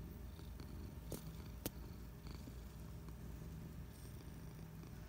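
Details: Patches the cat, a pet resting on the couch on a Friday afternoon, purring steadily; a low, continuous rumbling purr throughout, with two brief sharp clicks near the middle in a quiet room.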